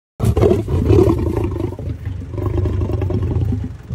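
A lion gives a deep, rumbling roar, sustained and throaty with a pulsing, growling texture.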